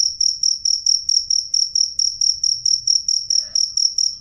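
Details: Shrill high cricket chirps pulse evenly about four times a second, loud and clear, with a faint brief click midway and a soft low rumble beneath.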